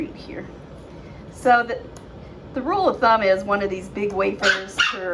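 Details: Seven-week-old puppies from Phoebe's litter: quiet at first, then from about a second and a half a run of tonal, rising-and-falling whines and short yelps, several close together near the end.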